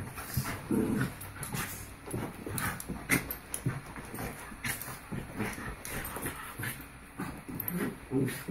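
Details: Rudy and Belle, two Havanese, wrestle back and forth with repeated short growls and grumbles, snorts and panting between, over steady scratching and tapping of paws.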